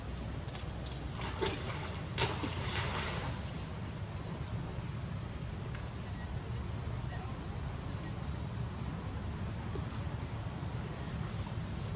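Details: Low outdoor rumble with light sloshing and a few brief rustling bursts early on, and faint distant voices.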